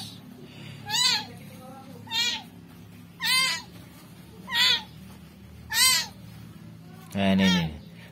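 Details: Rescued kitten meowing indoors, short rising-falling cries about once a second, six in a row, the last one lower and harsher; faint voices in the background.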